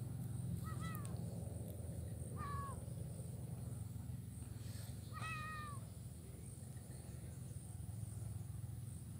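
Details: Blind kitten playing in grass on Jalan Kolonel Sugiono, Kuala Kapuas, Central Kalimantan, recorded Wednesday 27 November 2019; three high, thin, drawn-out meows that bend downward, spaced a couple of seconds apart, over a steady low outdoor hum.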